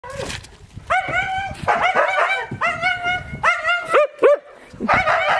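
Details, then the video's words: Yakutian Laika puppies giving high whining yelps and yips, several short tonal cries with rich harmonics, some rising then falling, repeated in bursts through the recording. "Щенки якутской лайки"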